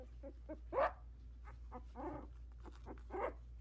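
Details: Young Havanese pups at sixteen days, eyes just opening, tottering around the whelping box. A few short squeaky yelps, the loudest near one second, then softer whimpers and another squeak at the end, with a faint background hum.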